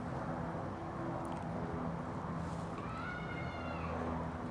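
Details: Cat up in a tree, with a scared black kitten nearby, gives a single drawn-out meow that rises and then falls, with clear overtones, over a steady low rumble of traffic.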